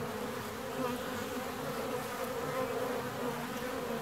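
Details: Honey bee colony in a hive 17 days after splitting, a continuous even buzz of many bees, with slight swells in loudness and a faint tonal drone underneath.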